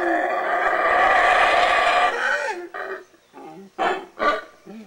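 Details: Howling from wild howler monkeys in Belize: one sustained, rough, throaty roar lasting about two seconds, then fading into several short, separate grunting bursts.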